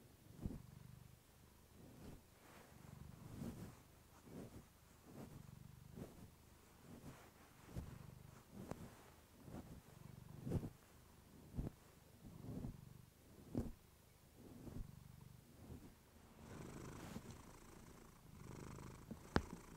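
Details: Purring of Clementine, a pet cat, close to a fluffy microphone: soft low rumbling pulses in uneven bursts, with some sharp clicks and a brief hiss near the end.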